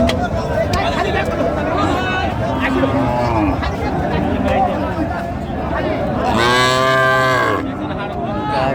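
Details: At the Ranigonj haat in Dinajpur, 20 October 2025, among cows offered with their calves, one cow bellows a loud, rich moo of about a second near the end, after softer lowing beneath busy market talk and hubbub.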